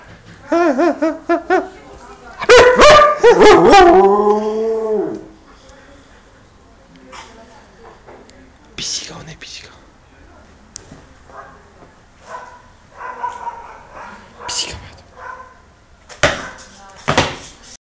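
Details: A Siberian Husky howls in a wavering, yodel-like voice, greeting its owner who has just come home after being missed a lot, while a person talks.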